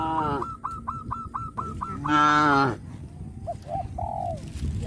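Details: Tame traditional village cattle in a herd, calling to companions; they walk to green pasture each morning and return to the pen in the evening. One loud, harmonically rich moo lasting under a second, preceded by rapid repeated high tones and followed by faint short calls.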